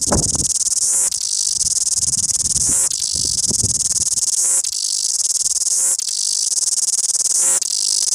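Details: Cicada in Wellington singing loudly, a shrill continuous buzz with short breaks roughly every one and a half seconds. Low thuds and knocks sound in the first three seconds.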